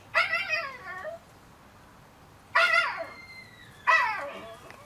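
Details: Three loud yelping whimpers from 30-day-old Shiba Inu puppies, each a bright, harmonic cry that falls in pitch and trails off within about a second, spaced roughly one and a half seconds apart, with a faint thin whine between them.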